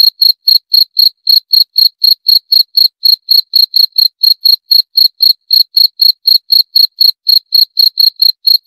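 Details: Cricket calling with a long, regular train of thin, high chirps, about four per second, steady in pitch and loudness, with no other noise.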